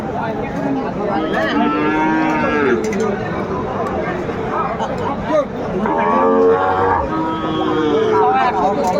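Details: Sahiwal cattle at a busy livestock market in Cumilla, Bangladesh, on February 12, 2025; two long, wavering moos with rich harmonics, separated by a short pause, amid crowd chatter and background noise.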